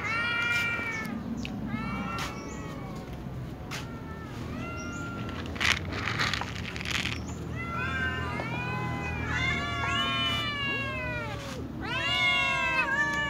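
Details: Little cats, a tom cat, a ginger cat and a silver cat begging at meal time with a chorus of short, high meows that quicken and overlap into a dense, insistent cluster near the end. A faint background hum runs throughout.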